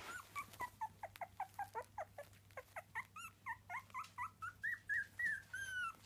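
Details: Several three-week-old Miniature Dachshund puppies whimpering nonstop, about four short, bent squeals a second, pitch shifting up and down from call to call, with a faint steady hum underneath.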